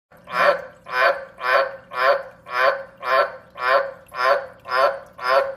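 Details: An old male tree frog gives a loud, raspy mating-call croak, repeated steadily about twice each second.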